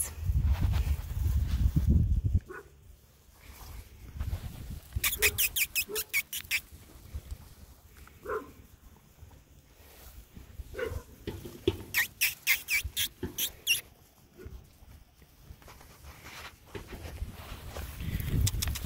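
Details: Poodle puppies, males, play together outdoors in the grass. Bursts of rapid, rasping pulsed yips come in two runs, one midway and one later, between quieter rustling and low thumps of movement.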